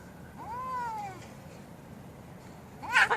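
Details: Domestic cats fighting: one drawn-out, wavering, harmonic yowl that rises and then slowly falls over about a second, followed after a pause by a short, harsh, loud screech.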